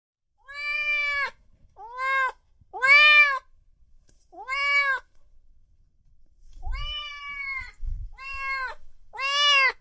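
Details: Kittens and cats meowing loudly, a run of seven short, arched meows, each rising then falling, spaced about a second apart, with a couple of soft low knocks near the end.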